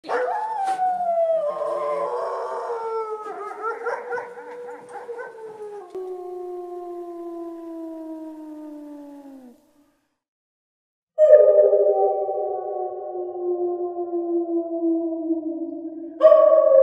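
A wolf gives long, sliding howls that fall slowly in pitch, with a brief pause between them.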